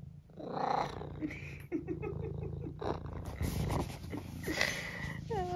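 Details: Senior tabby cat from the UK, charming and hopeful while asking for food, gives short soft meows over a continuous low purr, with a woman talking and laughing warmly to it.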